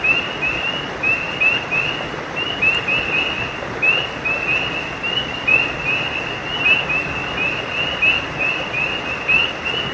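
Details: At night by a creek, a chorus of frogs gives rapid, short, high chirping notes that overlap without pause.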